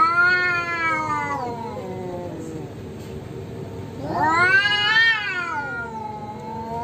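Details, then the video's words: Fighting stray cats, one orange and losing: a long descending yowl fades to a low growl, then a loud, quavering, rising scream swells and slowly sinks. "KUCING OREN KALAH BERANTEM !!!"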